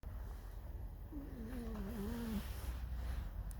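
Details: Alice, a pet fox kept indoors, squeaks a mournful, discontented song: one wavering, tonal whine of about a second, dipping and rising with a faint upper harmonic, over a steady low room hum.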